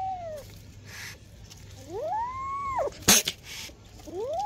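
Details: Two-month-old kitten meowing indoors: several clear, tonal meows that rise then fall, the longest about a second, with a short sharp noise burst between calls.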